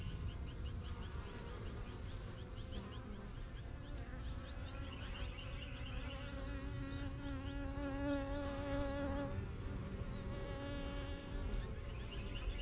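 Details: Yellow backyard beehive in its first season, spring 2023, honey bees flying in and out and learning the surroundings; thick, even humming swarm buzz throughout, with a recurring high thin bird whistle and scattered chirps behind it.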